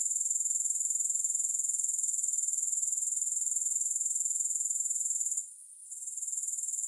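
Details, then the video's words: A steady, thin, high-pitched insect buzz from grasshoppers, rapidly pulsing in a regular rhythm. It drops away briefly near the end before resuming. Nothing else is heard. "Grass Hopper Sounds"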